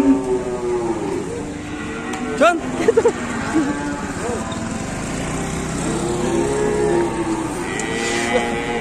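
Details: Several angry cattle on the loose in Indonesia, one charging into a motorbike, let out brief rising-and-falling moos midway, surrounded by chattering people, crowd noise and passing vehicles.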